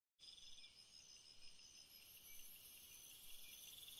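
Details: Cricket singing on a summer night, meant for relaxation and sleep: dense continuous high shrill trilling bands with steady shimmering hiss, no distinct chirp pattern, quiet background.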